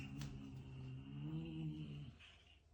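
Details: Cat murmuring while it eats a grasshopper: a steady, low, humming growl held for about two seconds and then fading, with faint room noise behind it.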